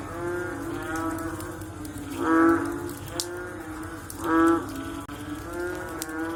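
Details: After rain, a frog chorus of drawn-out, nasal, low-pitched calls with rich overtones. Two louder calls stand out about two seconds apart above the constant droning of more distant callers.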